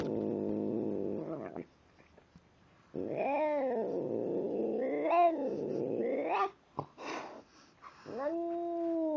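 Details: Tim the cat growls and talks while eating. A low steady growl gives way to rising and falling, wavering moaning yowls, then a pause with chewing clicks, and ends on a level drawn-out moan.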